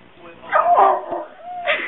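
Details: Pet dog barking on command on Election Night 2008 in support of Obama; a short burst of rough, mid-pitched barking and yelping, followed by a brief higher whine near the end.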